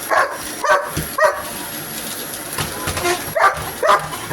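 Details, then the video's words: Pet dog barking at a vacuum cleaner: a handful of short, harsh, mid-pitched barks at uneven intervals, with a steady high mechanical whine running underneath. "Barking at vacuum cleaner"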